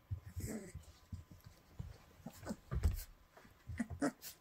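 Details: Llewellin Setter pups a little over three weeks old play together indoors, mouthing and pawing littermates, on the morning of 29 December 2019 at 10:32; soft low whimpers and grunts, a brief whine near the end, amid rustling and clicking.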